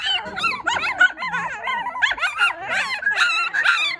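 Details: Squeaky, warbling cries from a litter of four newborn Maltipoo puppies overlap continuously, bending up and down in pitch with no quiet gaps.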